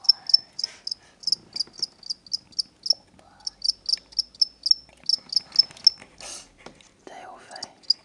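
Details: Pet crickets, a pair bought as reptile food at a pet shop, give loud, high chirps in quick regular runs broken by short gaps, with soft whispering and handling sounds in the room.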